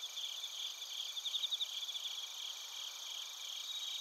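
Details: Chorus of bell crickets and crickets from Narita, Chiba, Japan, recorded on a TASCAM Portacapture X8. A brief burst of rapid, bright pulsed chirps stands out near the first second and a half over a continuous high insect hum.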